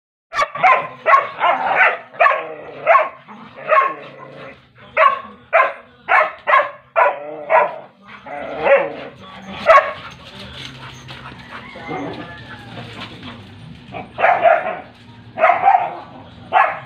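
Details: Playful, mischievous Belgian Malinois x Labrador Retriever crossbreed dogs barking in rapid bursts of sharp, fairly high barks, sometimes in quick runs, with brief pauses and a low background hum between bouts.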